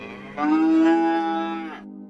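A cow gives a single long, steady moo, full and nasal, holding its pitch before dropping away.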